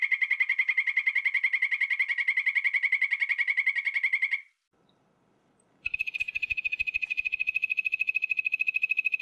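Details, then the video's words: Poison dart frog giving long, fast, even trills of bright pulsed notes, one trill lasting over four seconds, a short pause, then another trill begins with faint ticking behind it. "5 popular poison dart frogs - call and sound"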